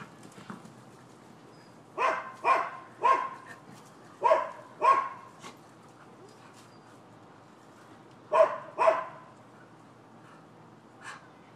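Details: Neighbors' dogs barking persistently, Florida, December 7, 2015: loud single barks spaced about half a second apart, a pause, then a sharp double bark and one faint bark.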